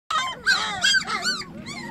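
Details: Several puppies, their eyes newly opened, call for their absent mother with short arched yelping whines that rise and fall in quick succession, overlapping one another.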